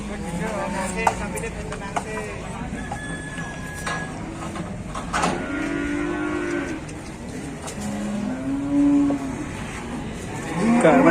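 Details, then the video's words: A raging cow in a fight at a crowded morning livestock market in Indonesia: several short, hoarse, arched moos scattered through a noisy scene of clattering and voices. "Ada sapi gelut geger geden"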